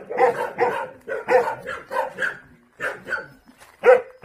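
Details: Purebred Jindo dogs met on Jindo island, South Korea, barking in a rapid series of sharp, harsh barks, two or three in quick succession, then short pauses and a final loud pair.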